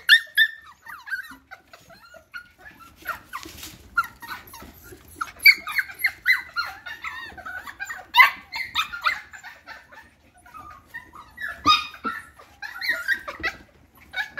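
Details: F1 cockapoo puppies, from a Cocker Spaniel mother and a miniature poodle father, give a steady stream of high, thin squeaks and whines. The cries overlap and bunch into dense bursts around three to four seconds and again near eight and twelve.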